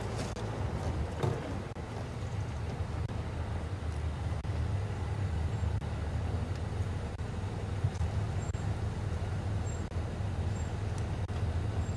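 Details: Continuous low rumble of a running vehicle engine with a few faint high clicks, and no animal voice.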